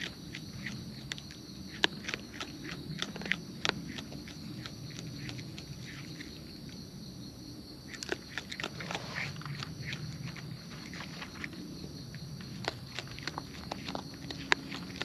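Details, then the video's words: Wild raccoons eating close up outdoors: crisp, irregular crunching and clicking bites come in dense bursts, with softer rustling underneath and a steady high-pitched hum throughout. "Wild Raccoons & ASMR Chewing Sounds"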